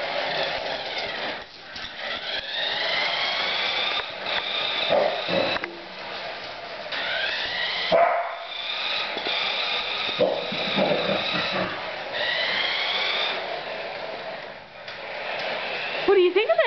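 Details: Katie, a female Border Collie with no sheep to herd, reacts to her new RC truck, a holiday present, with high excited yips, whines and sharp barks over buzzing toy motor noise, clapping and music.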